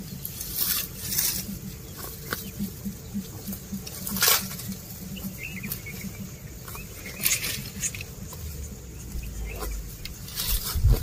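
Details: Cows and oxen eating grass while walking, outdoors: a steady patter of crisp, broadband tearing and crunching clicks, with louder snaps every second or two over a low rumbling background.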